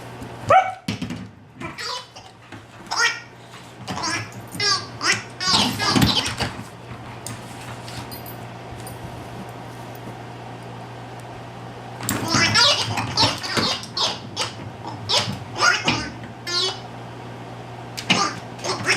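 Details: A dog playing with a wobbling, giggling toy ball and a stuffed rabbit gives bursts of sharp, rapid barks and yips over the first seven seconds, then again after a quiet spell, mixed with the toy's sounds.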